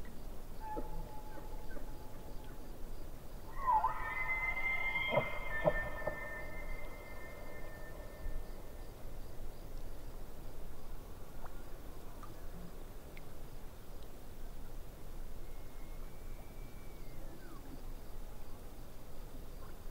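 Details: Elk heard from afar beside a lake, giving a rising whistled bugle with layered overtones that fades after a few seconds, then a second shorter, fainter whistle that falls at its end, against constant soft background rumble.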